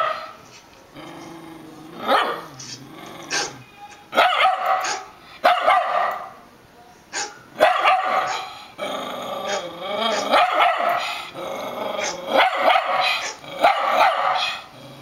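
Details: Catfish, a pet Rat Terrier, barks and growls excitedly at another dog barking on a computer monitor indoors; bursts of sharp, high yapping barks mixed with whining growls, repeated in clusters over fifteen seconds.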